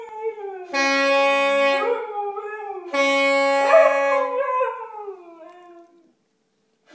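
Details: Siberian Husky howling along with a virtuoso saxophone player: long wavering howls sliding up then gradually falling, overlapping two sustained bright saxophone notes, the final howl trailing off into silence.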